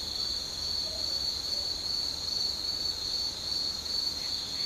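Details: Insects at dusk on the Noto Peninsula in Ishikawa, Japan, rural satoyama countryside: steady high continuous trilling chorus throughout, faint pulsing, no other clear sounds.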